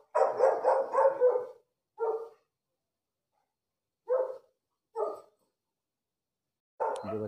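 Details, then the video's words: Rapid burst of four or five mid-pitched barks from a dog, followed by single barks spaced one to two seconds apart across a quiet background, ending on one more bark. "shainbrand barking call"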